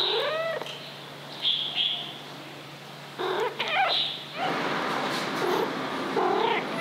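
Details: Dafu, a 2-year-old female Maine Coon cat, gives a series of drawn-out, wavering meows, demanding attention and caresses.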